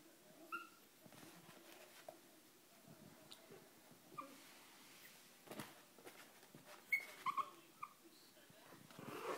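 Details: Young Chihuahua pups give brief high-pitched squeaks and whines, isolated at first and then a cluster of sharp little squeals near the end, over soft rustling and faint background voices.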